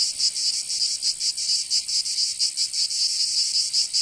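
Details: Summer cicada chorus from Provence in the south of France, a shrill, high rasping buzz beating in quick regular pulses, several insects overlapping into one continuous sizzling sound.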